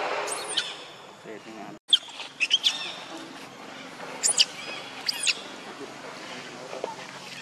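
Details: Thin, high monkey squeals from the group of Lucie and Rainbow, with Lucie described as jealous: a few arched cries at the start, then short clustered peaks and two more arched squeals near the end, against steady low background hiss.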